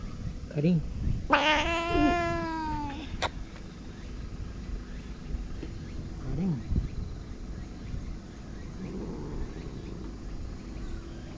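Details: Karin, a ferocious stray boss cat of a Japanese harbour, gives one long, drawn-out, strained yowl of about a second and a half around 18:00, when the captain arrives. A person speaks to her before and after, over low background rumble.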